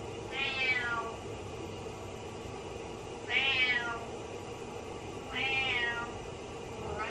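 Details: Butters the cat meows sadly outside the shower, as though the owner went down the drain; three long, arched meows spaced roughly two and a half seconds apart, a fourth starting, over steady running water.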